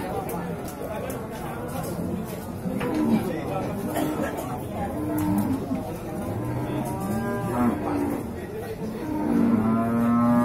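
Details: Male beef cattle in the bull section of the Singkil cattle market, Boyolali, on Saturday Pahing, 6 July 2019: several low, drawn-out moos with rich harmonics rise at intervals over steady market chatter and crowd noise.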